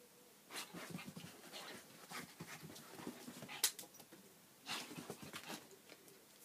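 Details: Dog playing vigorously with a ball indoors, knocking it away and fetching it itself; bursts of breathy panting with scattered clicks and thumps of play.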